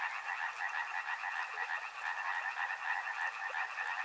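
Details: Dense frog chorus beside a river, many callers overlapping in a steady pulsing trill band, fast repeated croaks with a faint hiss of water beneath.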